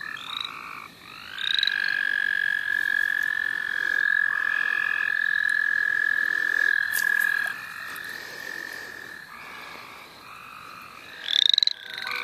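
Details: Wild frogs in the St. Olaf College Natural Lands during frogging: a sustained high trill starts after a second and holds for several seconds before fading, with buzzy pulses, scattered rising peeps and a louder burst near the end.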